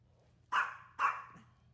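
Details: Maltese dog on a hot summer day, two sharp, bright barks about half a second apart in a quiet room.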